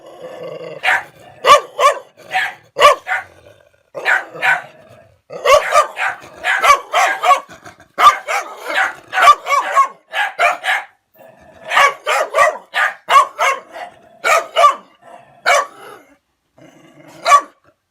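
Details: Dog angry at someone trespassing on its place, barking and retreating: loud, hoarse barks in quick bursts of three to five with short pauses, a few low growly undertones between bursts.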